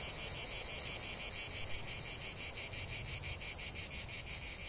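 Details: Cicada song from a long uninterrupted nature recording: loud high-pitched buzzing with a clear rhythmic throb, about three pulses per second, over a faint low rumble.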